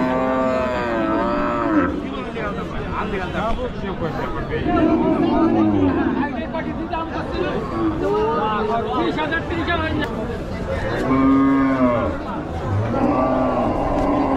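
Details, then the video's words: During a village cow unloading, loud arching moos rise and fall at the start and again near the end, with shorter lows in between, all half-buried in busy crowd chatter and shouting. "cow unloading, cow videos, cow video, big cow, goru hamba cow"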